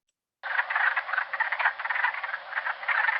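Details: A spring Big Night chorus of wood frogs (Lithobates sylvaticus): a continuous stream of hoarse, clucking croaks like distant ducks quacking; spring peepers are usually heard calling at the same time.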